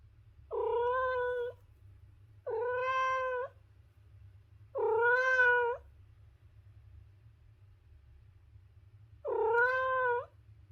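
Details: Four separate meows from a cat, each lasting around a second, clear and evenly pitched with a slight rise at the end, spaced at uneven gaps, with a faint low hum underneath.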